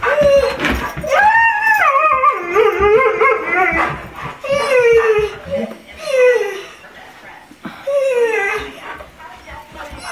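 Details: Several pet dogs, among them Trigger the Golden Retriever and Spencer the Irish Setter, howl together like a coyote choir indoors: long wavering tones that rise and fall and overlap. Barking from Simba and heavy breathing join in.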